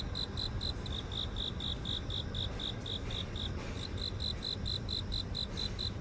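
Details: City garden insect chorus in Seoul recorded with a phone: steady high pulsed chirping, several beats per second with one short gap, set against a low continuous hum of the city.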